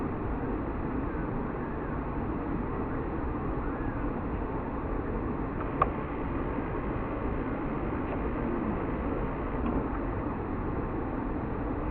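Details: Steady low rumble of passing vehicles or a train, with a few faint clicks and no animal calls.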